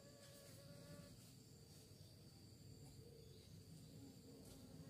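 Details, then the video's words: A low, continuous hum of bees searching for prey, thick and steady, with faint wavering overtones and soft ticking sounds above. "Lebah Mencari Mangsa, Suara Lebah"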